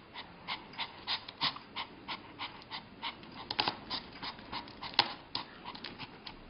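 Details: Puppy trying to get a treat, panting in quick breathy bursts, about three per second, steady and rhythmic, with a sharper snort near the end; no other clear sounds.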